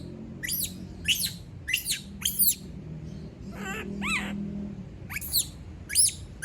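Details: A female monkey screaming when all leave her alone. Rapid high-pitched squeals are interrupted midway by a couple of lower, wavering, rising cries, then the shrill bursts resume. A low hum runs underneath.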